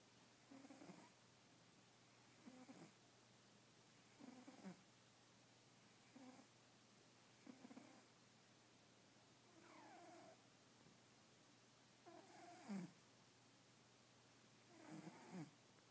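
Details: A fat domestic cat asleep beside a person, snoring and twitching; soft breathy snores recur roughly every two to three seconds, low and rough, with some snores carrying a faint whistly rise, over a quiet steady hum.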